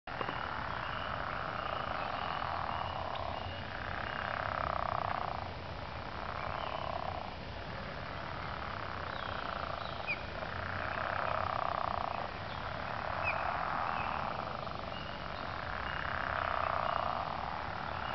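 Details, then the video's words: Frogs calling in early spring, a chorus of rough, throaty croaking swelling and fading in bursts every couple of seconds, layered over a steady low rumble. "Tuvan throat singing as done by frogs"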